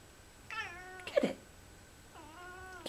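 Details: Lynx Point Siamese cat chattering at fall leaves: two drawn-out, harmonic, nasal calls, the first slightly falling, with a sharp clicky burst between them, indoors and otherwise quiet.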